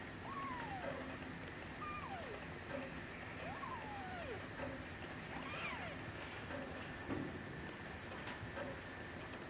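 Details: Three-week-old kittens, Aurora, recorded 20 November 2011: four thin, high mews, each sliding downward in pitch, spaced roughly a second and a half apart over a steady background hiss.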